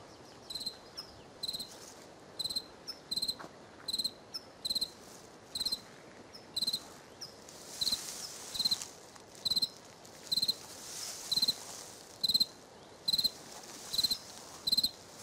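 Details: A cricket on a riverbank chirping steadily: short high pulsed chirps repeated roughly once per second, each a tight burst of rapid clicks, with a faint hiss of background noise between them.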